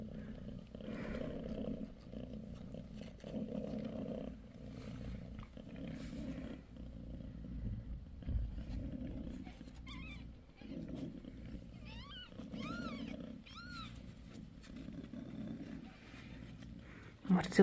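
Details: Mother cat Bassy, six days after giving birth to three male and two female kittens, purrs in steady pulses about a second apart, while a kitten squeaks several thin, high, arching mews near the end.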